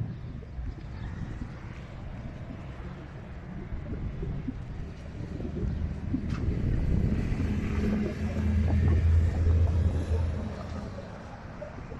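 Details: Outdoors at night, a low engine rumble swells and fades amid wind noise, with no animal call heard.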